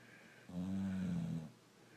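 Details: One low, rattling snore from Rocco, a sleeping brindle Boxer, lasting roughly a second, with a humming, droning quality over quiet room noise.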